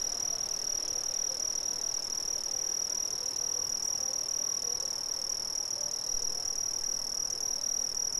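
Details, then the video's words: Brazilian crickets sustain a loud, high-pitched continuous trill at one steady pitch, with occasional faint lower chirping notes beneath the chorus. "Brazilian Crickets"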